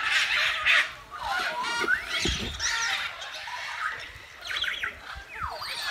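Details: Lincolnshire Wildlife Park meerkats investigating a cardboard box in their enclosure: noisy squeals and chirps open loudly, then sweeping downward squeaks and scattered calls, with a low thud partway through.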